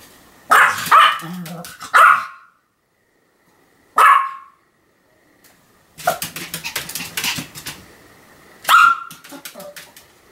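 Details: Sam, a Pomeranian, barking continuously: loud, sharp yaps in clusters with short silent gaps, a burst of rapid scrabbling or rustling noise in the middle, one more sharp bark near the end.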